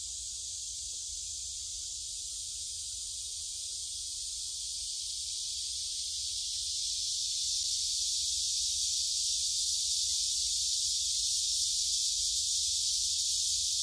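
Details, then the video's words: Phone recording from a stroll along the Gyerim forest path in Gyeongju, 16 July 2022: massed cicadas make an unbroken shrill buzzing wash that swells louder around seven seconds in, with faint low rumble beneath. "매미들이 노래하는 '경주 계림'"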